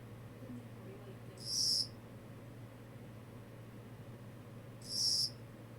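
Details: Two brief, piercing high chirps from a Kogata cricket, spaced about three seconds apart, with a faint constant low hum throughout.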